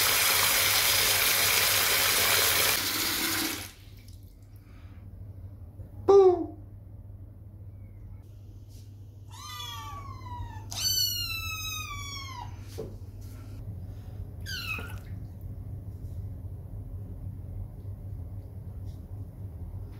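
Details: Kittens, muddy from playing on a wet lawn outside, upset and angry at being put in the bathtub: a burst of running water, then several high, harmonic-rich meows, some long and wavering, spaced across quiet moments.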